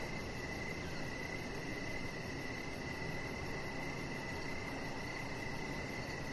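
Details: Crickets outside by a deck in the evening, giving a steady, unbroken ringing trill over constant low rumble and hiss.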